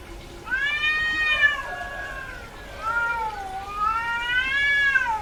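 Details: Female cat in heat, repeated vocalizing: two long, arched, nasal meows rising and falling in pitch, joined by lower drawn-out moans between them.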